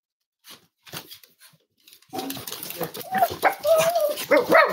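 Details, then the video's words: Cavalier King Charles Spaniel puppies snuggling indoors on a warm Friday morning, home-raised as emotional support animals. A few soft huffs, then a loud burst of overlapping high whining yelps and sliding squeals, growing more insistent toward the end. "Cavalier Puppy Livestream: Cozy Cavaliers Love to Snuggle"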